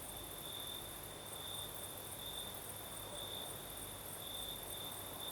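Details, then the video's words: Night in southern Crimea, crickets singing under a night breeze: a constant shrill trill pulsing about once a second, a faint very high second chorus above, and steady soft wind hiss throughout. "Звук ночи. Юг. Крым. Сверчки поют. Ночной бриз."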